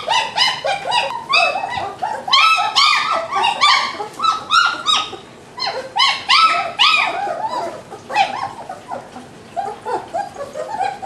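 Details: Litter of German Shepherd puppies at a breeding kennel, crying almost continuously: overlapping high whines and squeaky yelps, many pups calling at once with rapid, repeated rising and falling notes.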